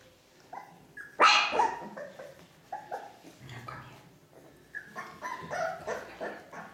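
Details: Four-week-old Ca de Bou puppies from the litter of Bea and Bubu: a burst of short, high barks and yelps, several overlapping pups, with soft whimpers between and a woman's voice talking to them.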